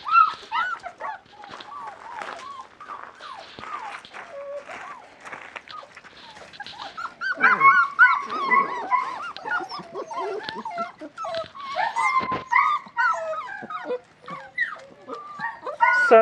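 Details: Several 37-day-old West Siberian Laika puppies, out in a puppy pen for the first time on a fine day, fill the air with a dense chorus of overlapping whines, squeaks and yips that grows louder midway, while a person chats nearby.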